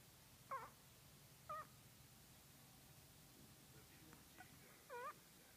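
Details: Chihuahua dreaming while asleep, giving four short, soft, squeaky whimpers spaced irregularly in a quiet room with faint background hiss.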